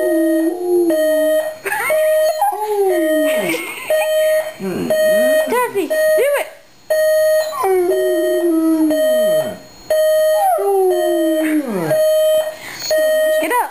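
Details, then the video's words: Domestic dog howls in response to an alarm clock. Repeated drawn-out howls fall and bend in pitch roughly every three seconds, with whimpering yelps between them and a constant beeping alarm tone throughout. "dog howling to alarm clock"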